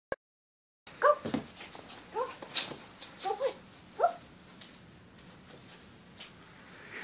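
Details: Small puppy named Popcorn running and playing in deep snow, catching snowballs in her mouth; after a moment of silence she gives several short, high, whimpering yips at irregular intervals over about three seconds, with faint rustling of snow.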